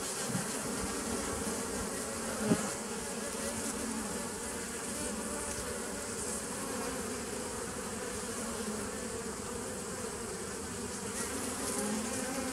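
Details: Dense, even bee drone recorded 27 September 2018, with one brief click or knock early on, otherwise a constant low humming buzz throughout.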